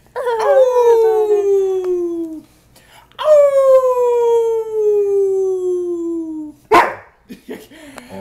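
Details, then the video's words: Dog named London howling in response to a fire siren, with two long drawn-out howls each gliding slowly downward for about two seconds, separated by a brief pause, then a short sharp burst at the end. "Howl at the Siren"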